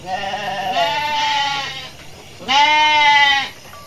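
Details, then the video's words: Garut sheep amid a running flock in a rice-field area, rams raging; two long, quavering bleats, the first about a second, the second louder and steadier, with faint background hum. "DOMBA GARUT NGAMUK"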